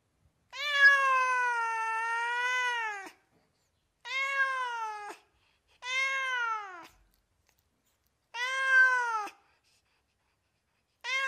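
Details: Domestic cat giving five clear, clean meows in a quiet setting: a long opening meow of over two seconds, then shorter, slightly arched meows spaced about two seconds apart.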